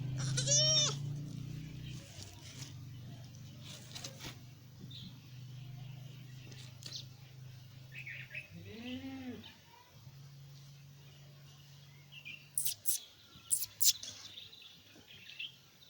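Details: A newborn goat kid gives a few short, wavering bleats over a steady low hum.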